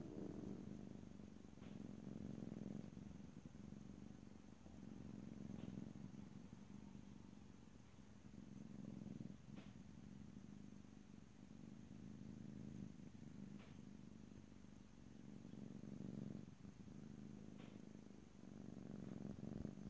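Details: A house cat purring softly and steadily, the deep rumble rising and falling in slow waves of breathing, with occasional light ticks and rustling nearby.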